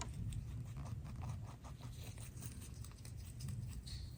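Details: Pet rabbit eating greens, part of a load of veggies, grasses and flowers shared by two bunnies; quick crisp chewing ticks in a steady run, with low background rumble.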